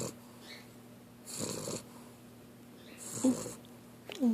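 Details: Sleeping female puppy lying on her back with her mouth open, snoring in two soft, breathy rasping bursts roughly one and a half seconds apart, with a brief quiet human voice near the end.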